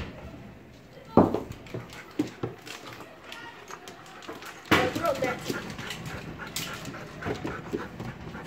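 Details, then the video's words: Male Golden Retriever, excited to see his owner and kept behind a gate, panting and snuffling in short irregular bursts with sharp broadband knocks at about 1.2 and 4.7 seconds; people talk nearby throughout. "Golden Retriever Boy) Is Still Excited To See Me"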